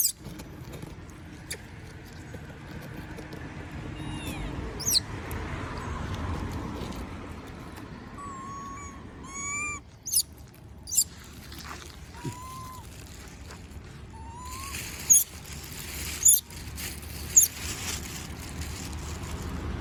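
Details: Monkey asking for food while other monkeys eat peanuts, giving a string of brief whimpering cries that rise and fall, several in quick succession, then sharp cracking clicks amid steady low background noise.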